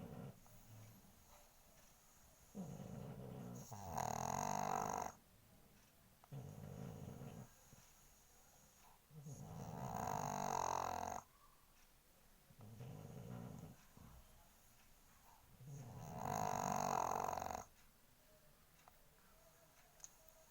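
A pug snores steadily, with loud, rasping breaths returning about every six seconds. Each inhale starts as a low rumble and swells into a throaty, fluttering rattle before fading into quiet.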